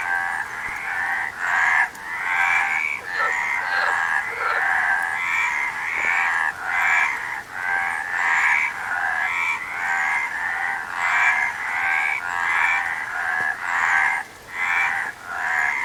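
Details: Frogs call in a busy, steady chorus of short rasping croaks, quick overlapping pulses over sixteen seconds with hardly a lull.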